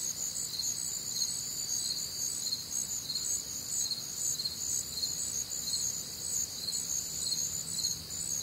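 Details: Warm, humid summer night in the Midwest, crickets in full chorus; continuous high-pitched trilling with regular pulses in layered bands, steady in volume throughout, with a soft low rumble underneath.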